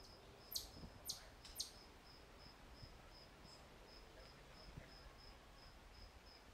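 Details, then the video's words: Crickets at Walden Pond chirping in a steady, high-pitched series of short pulses, a little over two per second, throughout. Three sharp, loud clicks break in near the start over a low rumble of background noise. "Listen to Crickets at Walden Pond"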